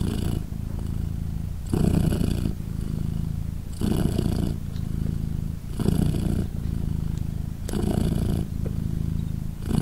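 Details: British Shorthair mother Polina purring as her three 3-day-old kittens nurse; a low continuous rumble rises into a louder inhaled surge about every two seconds, five swells across the stretch.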